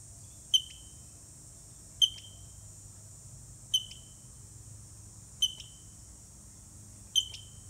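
A black squirrel gives sharp, high, squeaky chirps, one roughly every one and a half seconds.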